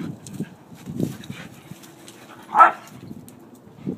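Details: Household dogs playing together, a pack of five including pit bull mixes, a wire-haired terrier mix, a red heeler and a Lhasa Apso; one sharp mid-pitched yelp-like bark stands out amid soft low grumbles and scuffling.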